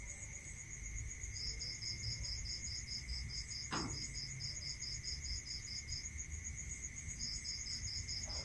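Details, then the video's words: Crickets calling at night in a rural setting. A long run of fast, high pulses pauses briefly, then resumes, over a continuous piercing ring and a steady hum, with one sharp click midway. "Listening to Cricket Sound"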